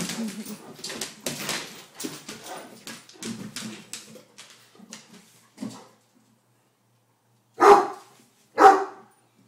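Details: Several Great Danes playing together on a deck: a run of soft, rhythmic huffing and grumbling sounds, a pause, then two loud, sharp barks about a second apart.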